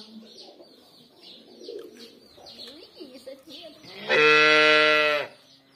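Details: A cow wanting her calf gives one long, steady, harmonic-rich moo lasting just over a second, after quieter mixed background sounds with music.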